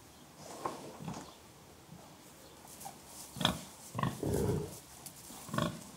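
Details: Gentle contented pig grunts, low and throaty, coming in short separate bursts that grow louder toward the end, with one longer drawn-out grunt.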